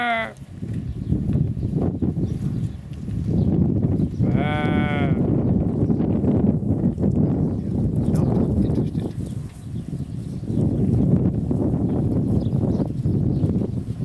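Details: Sheep eating and fighting over the same corn husk: a brief clipped bleat opens, then one clear wavering harmonic bleat about four seconds in, over steady crunching and chewing noise throughout.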